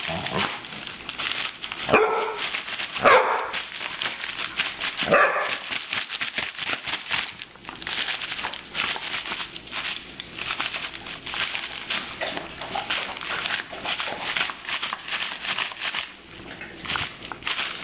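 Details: Dogs reacting to bag puppets, barking in short sharp bursts, loudest around two to five seconds, followed by a steady run of clattering, rustling play noise.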